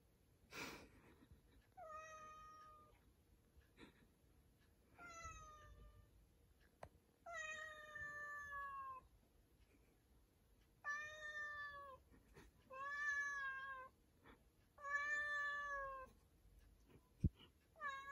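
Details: Cat that has gone into a storeroom, meowing repeatedly indoors: long, drawn-out harmonic meows of one to two seconds each, roughly every two seconds, some wavering and falling at the end, with a few knocks.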